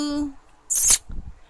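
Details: Pet ferret named Balú, greeted affectionately indoors, gives one short, sharp, hissy sneeze burst just after a person's voice says its name; soft handling noises follow.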